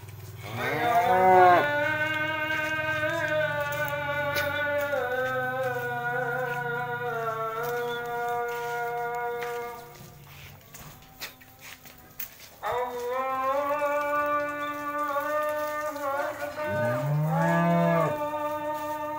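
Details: Cattle being washed outdoors instead of in the pen before going to market the next day, in Indonesia: long sustained lowing moos, one held for several seconds, a pause, then further rising and falling moos.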